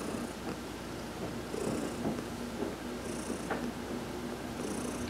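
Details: Heidi, a cat massaged while sunbathing on November 19, 2020, keeps up a low rumbling purr with small swells in loudness, plus brief high hissing bursts about every one and a half seconds.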